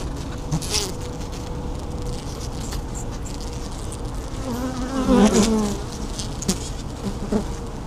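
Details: Social calls of honey bees recorded from within a hive at an apiary: a steady low buzzing drone, brief clicks and knocks, and one short pulsed, sweeping tonal call near the middle.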